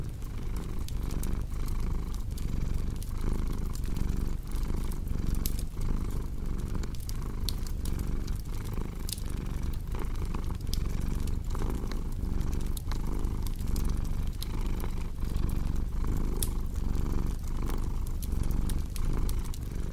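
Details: Cat purring in a deep, even drone that swells and dips with its breathing, set against a steady scatter of crackling firewood snaps.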